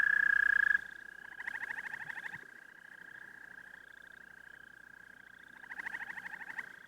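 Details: Singing toad: a continuous high, steady-pitched trill runs throughout, with a louder pulsed trilling caller swelling in twice, around the second second and near the end, over a quiet background.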